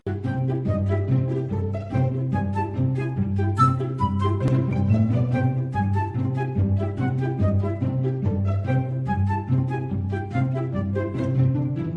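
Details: Continuous playful orchestral music with pizzicato bass, cello and flute lines, and no animal voice.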